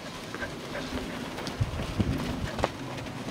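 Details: Outdoor sheep herding lesson with schnauzers in April 2012: faint speech, scattered thumps and clip-clop-like footfalls over a low rumble, no clear animal call.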